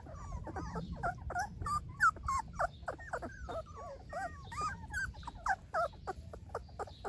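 Golden Retriever puppies whimper and squeal in a rapid, overlapping chorus of high, wavering whines.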